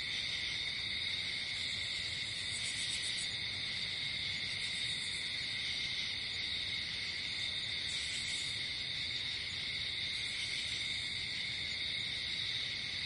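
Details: Night-time nature sound of crickets: continuous high, even trilling in layered bands, joined every few seconds by short sizzling bursts even higher up, over faint low background noise.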